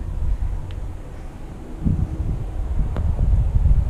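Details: Low rumbling wind buffeting the microphone, with a few faint clicks and no animal calls.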